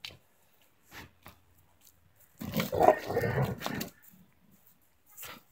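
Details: Tornjak dog, a breed the owner describes as hard to handle until about two years old. A rough, low, throaty growl rumbles for about one and a half seconds in a quiet room, with faint clicks and soft noises before and after.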